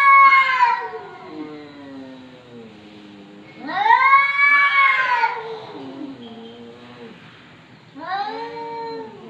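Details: Domestic cat caterwauling in long, yowling meows that swell and fade, three drawn-out calls with bending pitch, loud and harmonic-rich in a quiet room.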